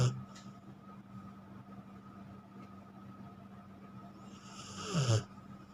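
A Rottweiler snores with a low, steady rumble while resting during a head massage.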